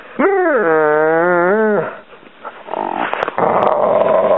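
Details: Pet dog whining at home because his favourite toy is stuck under the couch: a long, loud, tonal whine that rises, wavers and holds for over a second, then breaks into rougher, noisier whimpering sounds.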